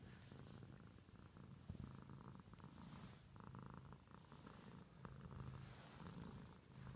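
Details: Pet cat purring with a low, even rumble and rhythmic louder bursts, interrupted by a couple of brief sharp clicks partway through, otherwise quiet background.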